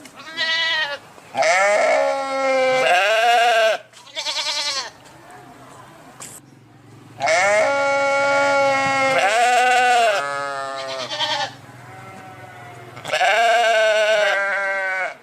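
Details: Repeated sheep bleats, about six calls in fifteen seconds. Some are steady, others wavering and tremulous, separated by short pauses with a faint low hum beneath.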